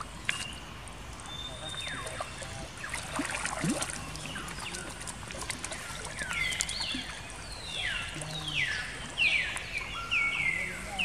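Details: Baby monkey Jinx, a female, crying after being attacked by another monkey, Spring: high, thin wails that slide steeply downward, coming in a quickening run of repeated cries over a faint background hiss.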